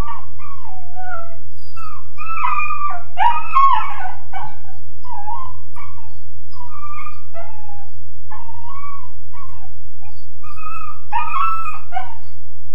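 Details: Young Weimaraner, around 13.5 weeks, crated in a kennel, howling in uneven bursts of quavering, sliding whines and yelps, some notes rising then dropping, with a constant low hum behind.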